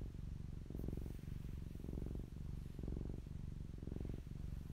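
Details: Deep, buzzing purr from the fluffy cat Popolina at close range, rising and falling in even pulses roughly every half second to second as she breathes in and out.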